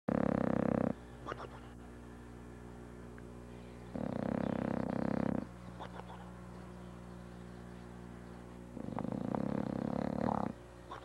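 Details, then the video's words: Sammy, a bulldog asleep on a couch after a day of Christmas shopping, snores in loud, rough, rumbling breaths about every four to five seconds, each lasting one to one and a half seconds, with quieter breathing between. "Sammy, the Snoring Bulldog"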